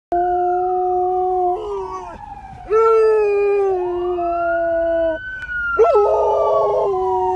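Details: A dog howls in long, wavering tones, joining in with the siren of a passing fire truck.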